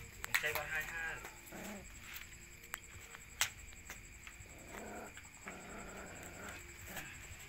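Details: Puppies being fed: a short, high whining yelp with stacked harmonics opens the recording, followed by softer murmurs, rustling and a steady high background tone.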